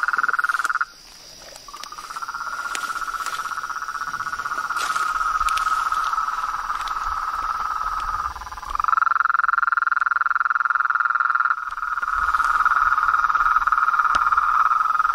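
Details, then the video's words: Frogs and toads calling in nature, a dense trilling chorus pitched in a narrow band, pulsing rapidly and steadily with brief drops and shifts in pitch, overlapping callers throughout, faint clicks scattered over it. "Os sons dos sapos , rãs e perereca na Natureza"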